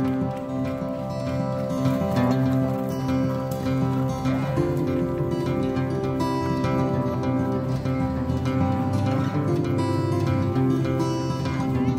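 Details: Steady guitar-led music with sustained tones throughout; no animal sound is heard.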